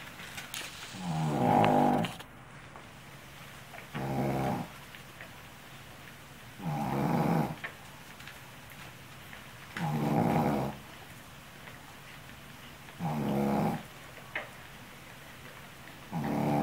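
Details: Sleeping female Shih Tzu named Yuli, worn out after caring for her pups, snores steadily indoors; rough, fluttering nasal snores recur about every three seconds, six in all, with near silence in between.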